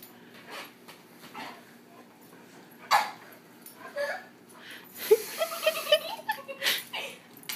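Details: Dogs Dudley and Fred at play indoors, Fred getting carried away: quiet scattered whines and short yips, then a cluster of sharper, louder yelps and squeals in the final seconds, mixed with people talking nearby.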